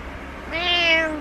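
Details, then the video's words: Domestic cat meowing at its owner, wanting them awake and out of bed; one drawn-out, clear meow that swells then slightly falls, lasting under a second in a quiet indoor room. "My Cat Wants Me Awake"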